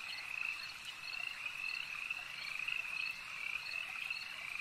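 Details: Lakeside frogs in full chorus: thin, high croaking trills overlap without pause, swelling slightly in pulses roughly every second over a constant background drone.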